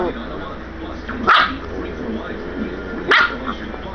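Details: Excited Catahoula Leopard puppy lunging at its owner, giving two short, abrupt yelping barks about two seconds apart while a man speaks in the background over a low, constant hum.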